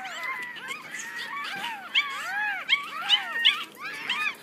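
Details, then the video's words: Six one-week-old Yorkshire Terrier puppies squeal and whimper together in overlapping, high, arching cries that rise and fall, some sharp squeaks standing out near the middle and end, with a steady low hum beneath. "6 yorkie puppies"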